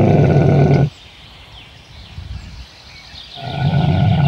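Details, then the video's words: Camel making a loud, deep, rumbling gurgle that breaks off abruptly, followed by a few seconds of quiet, then the same throaty rumble returning strongly. "Camel sounds & What sounds does a camel make"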